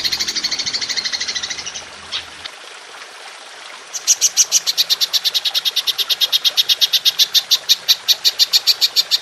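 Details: Golden grasshopper (belalang emas) in a long-burst 'nembak panjang' performance used as masteran to train songbirds: a noisy hiss fades, then from about four seconds crisp high ticking pulses repeat steadily, roughly five each second.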